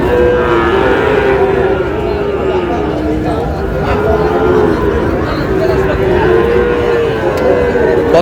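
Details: Sahiwal bull calves bought by a farmer at a cattle market in Tangail, Bangladesh; drawn-out, wavering mid-pitched moos rise and fall over a steady din of crowd chatter and market noise.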